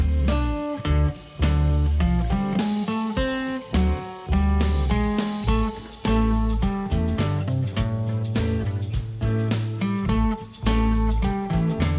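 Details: Steady strummed acoustic guitar music with a plucked bass line plays throughout, and no animal voice stands out.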